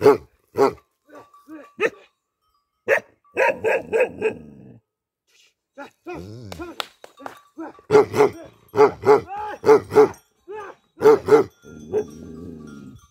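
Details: Tibetan Mastiff kept as a livestock guardian dog in Nepal, barking in irregular bursts: single deep barks, then rapid runs of three to four loud, ringing barks, with brief pauses between bursts.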